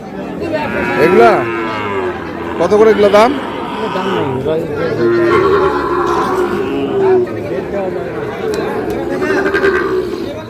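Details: Sahiwal bull calves at the Ambari livestock market in Parbatipur, Dinajpur, Bangladesh, 30 March; several short overlapping moos amid loud chatter of buyers and sellers haggling over prices.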